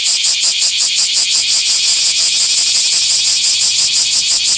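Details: Loud Bear cicada song from a small park on 24 July 2026: piercing, high rattling buzz pulsing evenly and fast, close and dominant.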